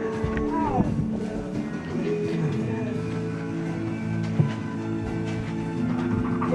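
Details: Guitar music plays steadily with some speech, and no clear animal sound stands out.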